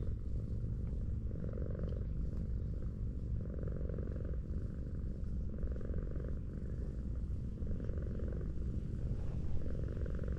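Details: Tortoiseshell cat, an affectionate outdoor cat found lying on a sloping street, purrs steadily while being petted; a continuous low rumble with a gentle rhythmic pulse of breaths throughout.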